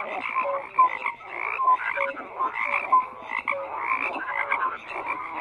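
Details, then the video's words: Frogs croaking in chorus, grating pulsed calls in bursts with bright short tonal notes dropping in about every second, layered and continuous. "FROGS CROAKING"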